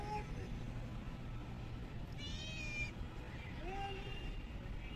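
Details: Stray kitten fed small raw fish caught from a pond: one brief, high, harmonic meow midway, with a fainter sliding cry near the end, over a steady low hum and background noise.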